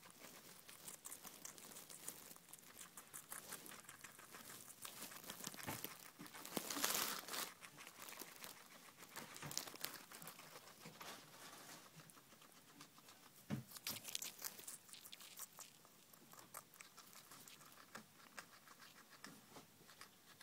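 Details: Pet guinea pigs eating cucumber at night indoors, a steady stream of fast, crackly crunching and wet nibbling clicks, several per second, with louder bursts of tearing bites scattered through.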